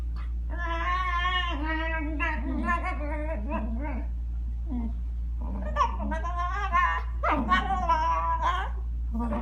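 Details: A Shiba Inu, very vocal while playing on a bed with a Newfoundland puppy, makes wavering, whiny, half-howled moans in drawn-out phrases over a steady low hum indoors.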